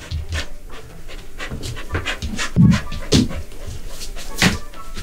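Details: Border Collie at home, eager to keep its owner to itself, panting in quick, uneven breathy bursts with a few louder huffs; faint background music.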